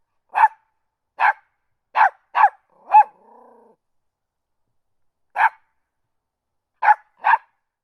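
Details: Barking from a small dog: a run of five crisp yaps ending in a softer whine, a pause of about two seconds, then three more yaps, with no background noise.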